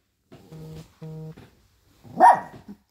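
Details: Young poodle offended at food served on paper, indoors in a small room: two short, low, steady growls, then a sharp yelping bark with a brief whimper after it.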